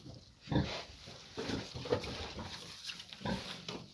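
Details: A piglet aged fourteen days gives a few deep, short grunts spaced unevenly over a few seconds against a faint constant hiss.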